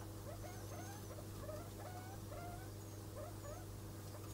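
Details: Degus during mating, a pair in which the male has a white neck; a steady run of short chirping notes, several each second, with some rising whistled notes and faint high squeaks above a low steady hum.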